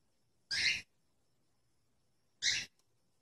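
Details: Domestic cat or kitten uttering two brief, raspy, noisy cries two seconds apart, each bright and high with a lower band beneath, in an otherwise quiet setting.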